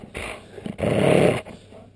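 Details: Annoyed pet dog, a husky, alsatian and Alaskan malamute mix, gives a short huff and then one loud, rough, half-second growl that quickly fades into quiet.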